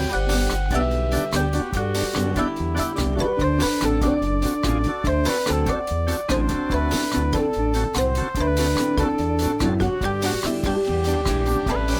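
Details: Upbeat keyboard music with piano and organ tones plays steadily, with no animal sound heard.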